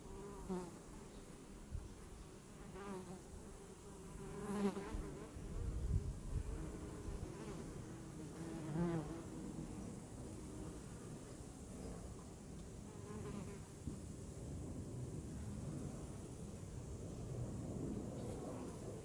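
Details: A honeybee buzzes in repeated passes, its hum swelling and wobbling in pitch each time the insect comes close, then fading between approaches, with low outdoor rumble underneath.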